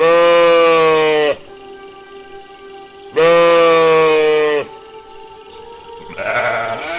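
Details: Lambs bleating: two long, steady, nasal bleats, each over a second, with a slight waver at the end, separated by a pause filled with faint sustained tones like background music.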